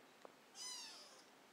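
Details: Month-old kitten in its own indoor nursery, already eating solid food and using the litter box; a single thin, very high-pitched mew of about half a second, steady then sliding slightly lower, in a quiet room.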